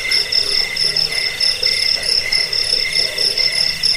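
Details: Rat-repelling, sleep-inducing cricket recording also used for bird song training. Piercing high chirps pulse in quick groups of several beats, repeating about twice a second, layered over a fainter shrill trill.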